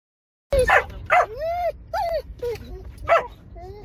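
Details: Dogs riding in a car, one said to bark at cars; sharp barks mixed with rising and falling whistled whines and yips, excited and repeated, with car engine hum beneath.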